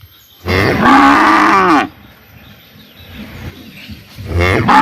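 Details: Cow mooing in a village in summer: one loud, drawn-out moo of about a second and a half, then a quiet rural pause and the start of a second moo, with a faint steady high hum in the background.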